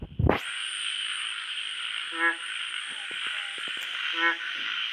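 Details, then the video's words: Frog at night giving two low, nasal croaks about two seconds apart, after a brief rushing noise at the start, with faint clicks and a dense buzzing night chorus behind. "Frog sounds at night"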